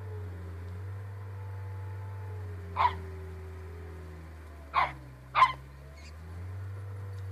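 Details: Mona Lisa the Pembroke Corgi, a pet dog, lets out three short, sharp barks, one alone and then a quick pair, over a steady low hum.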